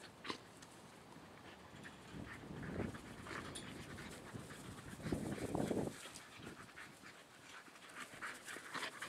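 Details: A dog, one of three named Sam, Motley and Baeo, pants in a backyard during fine weather: rapid breathy huffs, roughly four a second, swelling into two louder bursts, with soft outdoor background noise.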